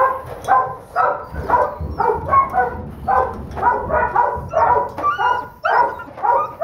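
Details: Doberman Pinscher puppy, a holdback female and the smallest of her litter, known to bite hard and keep coming; rapid harmonic yaps with a growly edge, roughly two per second, rising and falling in bursts, with faint higher squeaks.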